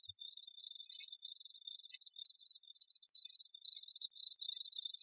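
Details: Many crickets trilling together, a high sustained tone layered with quick glittering pulses that rise and fall in loudness without a clear break.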